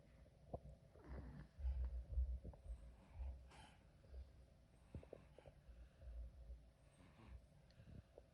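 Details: BabyGirl Mika the cat snoring in her sleep: deep, throaty rumbles, louder in the first half and then softer and patchier, with a few faint clicks.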